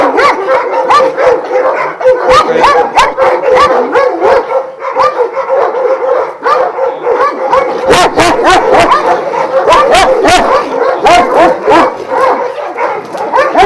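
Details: Twelve Šarplaninac dogs of Vujanski origin kept at a kennel in Jasika near Kruševac, barking as a loud pack; relentless overlapping barks and yelps with frequent sharp rattling clicks, steady throughout.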